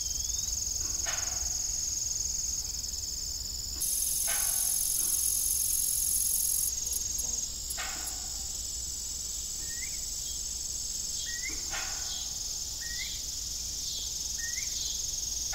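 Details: Around a rusty, idle farm windmill at evening, crickets keep up a high, steady pulsing trill while irregular knocks and a run of short, rising chirps repeat in the second half.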